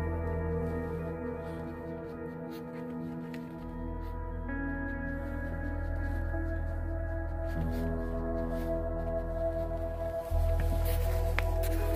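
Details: Sustained ambient music with low droning tones and layered harmonic notes fills the whole recording, with no animal voices heard.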